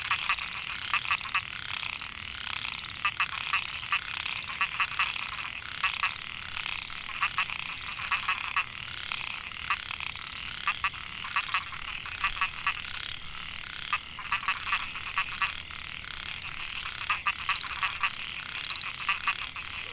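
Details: Chorus of narrow-mouthed frogs (Microhyla pulchra) in Mae Hia rice field, Chiang Mai, Thailand, 2014; dense overlapping buzzy pulsed calls throughout, frequent louder nearby bursts, continuous high insect hum in the background.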